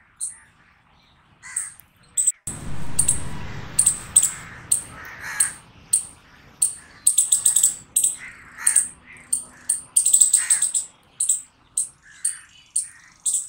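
A squirrel gives harsh, raspy barks in a steady series, about one or two each second.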